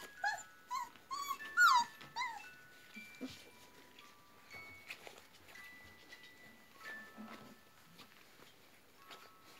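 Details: Flat-coated Retriever puppies nearly four weeks old playing in their whelping box with indoor run; high squeaky whimpers and yelps early on, then quieter, with faint steady tones in the background.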